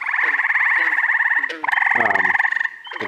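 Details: Overlapping frog chorus in early June, upstate New York: continuous fast pulsed trill with strong paired bands, broken briefly mid-clip, with lower gulping croaks and short chirps from other frogs mixed in.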